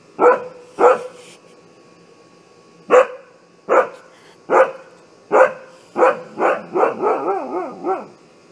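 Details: Alarm barks from a Siberian Husky: two sharp barks, a pause, several spaced single barks, then a quickening run of warbling, rising-falling barks that trail off.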